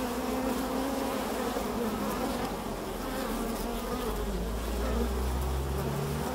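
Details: Carniolan honey bees (Kranjska sivka) on a foraging flight, producing a constant swarm-like drone of overlapping wingbeat tones, with a deeper low rumble beneath the buzzing.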